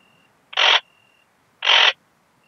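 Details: Ringed bush-cricket, Rhacocleis annulata, Biedermannsdorf, Austria, 8 August 2022, possibly rendered by a Pettersson D 100 ultrasound detector: two loud, gritty broadband syllables roughly one second apart, joined by a thin continuous tone.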